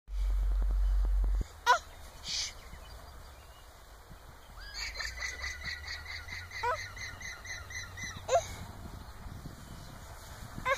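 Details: Several llamas giving alarm calls: a rapid run of shrill, honking, braying notes repeated about three times a second.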